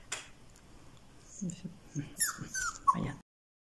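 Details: Female black-and-white Siberian Husky puppy, born 25 September 2020, filmed 26 October 2020 at a kennel in Moscow; a few brief, thin, high whimpers amid soft rustling and low background noise near the end.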